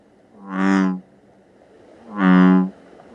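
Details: American bullfrog from Georgia, a highly aquatic frog calling at night, giving two loud, low-pitched bellows, each about half a second long and separated by roughly a second of quiet.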